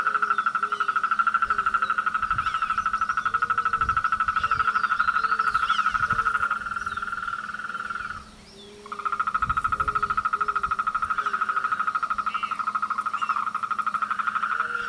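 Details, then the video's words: Courtship-season chorus of frogs: a continuous rapid pulsed trill broken by one short gap, with lower croaks repeating roughly every second beneath it. "El coral de las ranas"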